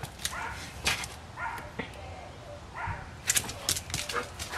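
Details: Pet dog at play after fetching a soccer ball, giving short broadband barks and yips in scattered bursts, with a loud cluster near the end; a person talks and praises it in the background.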